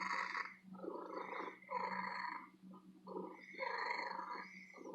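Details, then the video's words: Female house cat living in an antique store, purring loudly and at length; rough, buzzing bursts rise and fall with each breath, separated by short quiet gaps, with a steady low hum underneath. "My Lady Cat Purring"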